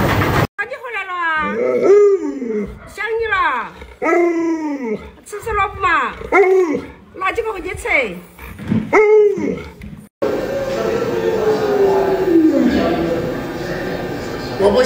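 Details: Indoor pet Alaskan Malamute Luoluo keeps up a steady run of short arched, talking-style howls, roughly one per second, before the sound gives way to broadband background noise.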